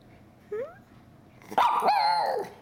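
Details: Indoor Miniature Schnauzer 'talking' back to its owner: a short rising whine, a pause, then a loud drawn-out grumbling howl with a wavering pitch lasting about a second.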